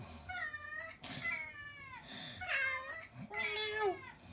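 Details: Pet cat indoors meowing along with played cat sound effects: three drawn-out meows, each roughly a second long, some falling at the end, over faint background noise.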